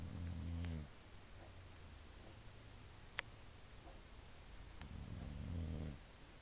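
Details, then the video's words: Sleeping female Boxer dog indoors snoring: low rumbling breaths with layered harmonics, one near the start and another around five seconds, separated by quiet room hiss and a couple of faint clicks. "boxer snoring"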